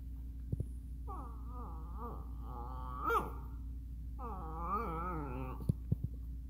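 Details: Miniature Schnauzer indoors asking to play: two long, wavering moaning whines, the first from about one to three seconds and the second from four to five and a half seconds, rich in harmonics, with a steady background hum and a few clicks.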